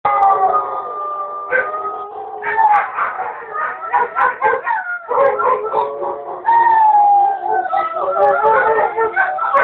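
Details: Several pet wolfdogs howling together: long, sustained, wavering tones layered over each other, with choppy, broken cries in the middle and a clear, steady howl near the end.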